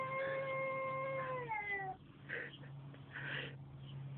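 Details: Male cat giving a sustained, tonal yowl that holds steady for about a second and a half then slides downward, followed by muffled rustling and a low constant hum.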